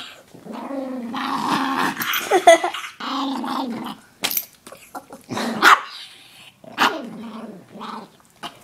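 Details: Koda the Chihuahua, interrupted while relaxing, growls in drawn-out wavering bursts, then switches to sharp short yips and barks separated by silences.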